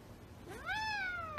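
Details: A house cat indoors lets out a single clear meow that rises, holds steady and then tapers slightly lower, ending with a brief sharp knock; a person coaxes it nearby.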